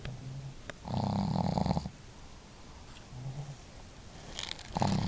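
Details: Two pet dogs, Marimo (female) and Daigoro, snoring together at home: Marimo's snore is hearty, Daigoro's modest. Low, rasping snore bursts, one long rumble near the start, a short soft one midway and another loud one at the end.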